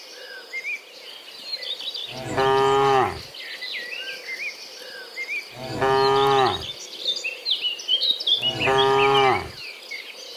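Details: Dozens of cows moo in turn in the afternoon while returning from the fields to the pen, each a deep, harmonic bellow of about a second, roughly every three seconds, over chirping, whistling small birds and steadily trilling crickets.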